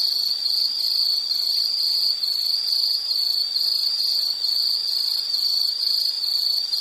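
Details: Insects calling in a continuous high-pitched trilling chorus, a dense shrill band held steadily throughout with faint higher overtones; no other sounds stand out.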